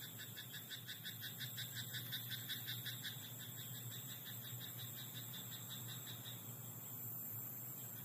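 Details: Frogs croaking at night in a rice paddy: rapid pulsed rattling trains repeating steadily through the first seconds, then fading, over a constant high insect-like hiss and a low hum.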